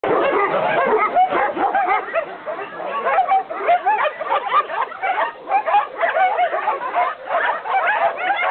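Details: Several dogs barking together in a dense, overlapping chorus of sharp yips and barks, fast and continuous with no pauses, sounding like a lively group of small dogs.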